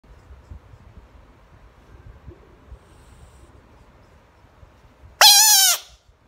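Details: A pet bullfrog screaming: one loud harsh cry of about half a second with stacked bright bands, after several seconds of near-quiet room sound.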